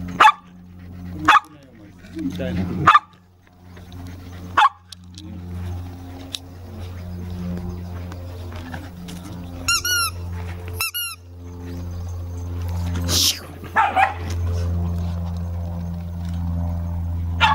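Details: Toy Poodle puppies playing together in a house dog run; sharp, short barks and yips scattered through, with a quick run of high, whining yelps midway, over people talking and a steady low hum.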